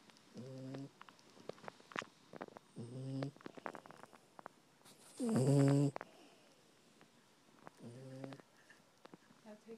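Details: A female Maltese poodle named Casey snuggles in a blanket on the couch, snoring: four low, nasal, buzzy breaths, repeated roughly every two and a half seconds, the third loudest, with soft rustling and small clicks around them.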